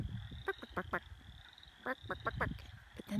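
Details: In a sunny spring forest by day, a chorus of wood frogs calls from a pond, giving rough, clucking, duck-like notes in quick bursts that sound like barking.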